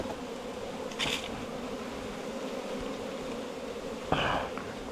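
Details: Honey bees at a nest inside a 4-metre bamboo stem give a steady, even droning hum that holds the same pitch throughout, broken twice by short rustling bursts.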